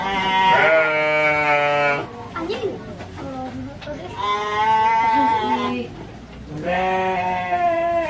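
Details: Bleating of Garut sheep at a ram-fighting event on a Cilawu farm in Garut, West Java: three loud, drawn-out quavering bleats about two seconds each, separated by quieter voices of people.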